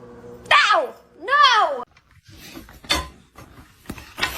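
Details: Indoor domestic cat with two clear, drawn-out meows, each arching up then falling, the second longer and wavering, followed by a woman speaking to it and soft handling noises.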